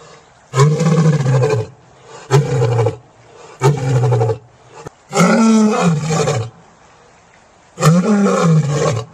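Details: Lion roaring: five deep, rumbling bursts, each about a second long, the fourth the longest and richest, separated by short gaps of near silence. No other sounds are heard.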